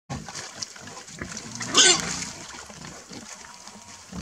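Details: A wild boar piglet gives a brief, harsh squealing grunt greeting its father, amid soft rustling and splashing.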